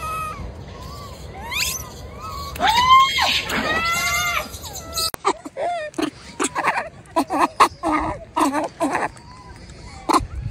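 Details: A wild baby macaque cries loudly after being bullied by its mother, shrieking in strained, harmonic screams that rise and break, then broken into choppy short squeals and clicks.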